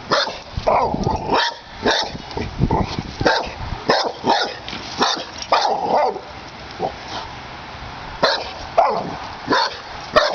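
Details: Pit Bull in its yard confronting a snapping turtle, an unwelcome guest: bursts of sharp barks, some doubled, broken by brief quieter pauses throughout.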